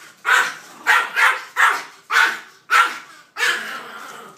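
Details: A Maltese in a bad mood barks at a three-foot cardboard cutout of two dogs. Seven sharp, high barks come in quick succession about half a second apart, the last one drawn out.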